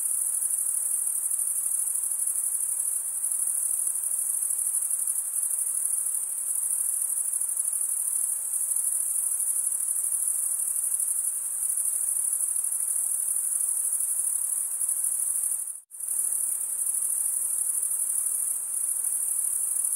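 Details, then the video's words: Crickets chirping in a dense, unbroken chorus: a steady, very high-pitched shimmering trill that holds at one pitch throughout, broken only by a brief gap of near-silence about three-quarters of the way through, with no other sounds. "Most relaxing cricket sound for 8 hours"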